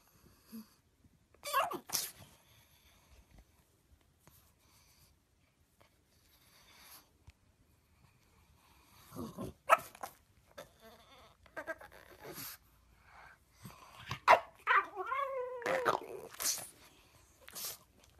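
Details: Pug dog sneezing several times in quick, snorting bursts, some closely paired, in a small room, with people's voices and laughter mixed in.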